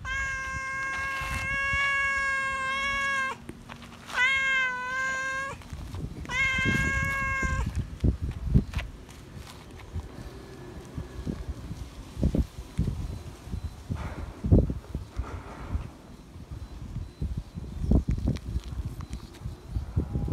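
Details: Feral cat that remembers a familiar person, meowing loudly for attention and love: three long, steady harmonic meows in the first seven seconds, then rustling and scattered low thumps with no further calls.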